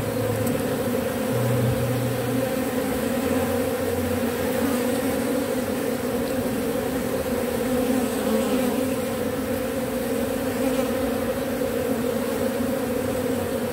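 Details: Robber bee up-cycling propolis from matchsticks: a steady, dense buzzing drone with strong low and mid tones that holds unbroken for the whole stretch, with a few short lower hums near the start.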